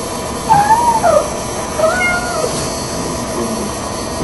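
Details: Red Tabby Persian cat named Lucy, sister of Garfield, calling indoors in the morning, impatient for her owners to get out of bed; a few short wavering mid-pitched meows early on, then fainter sounds over steady background hum.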